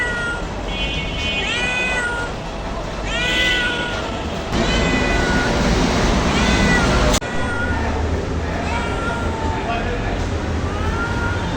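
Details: Cat crying with a run of meows, clear at first, then partly buried under louder broadband noise in the middle before short meows return toward the end.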